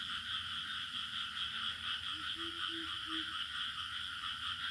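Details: Crickets trilling continuously around a village, dense high-pitched bands holding steady, while a few short low tonal notes sound briefly midway.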